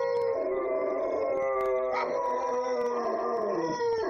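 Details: Several pet dogs left alone at home, howling together indoors. Long, sustained, overlapping tonal howls with rich harmonics, pitches gliding and wavering, voices rising and falling against each other without pause.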